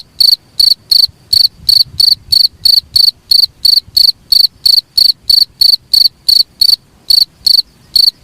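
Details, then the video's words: Cricket sound used as a tutor for songbirds: a steady run of sharp, high trilled chirps, roughly three per second, with a few brief gaps near the end and an otherwise quiet background. "suara jangkrik paling bagus sangat cocok untuk master burung kicau"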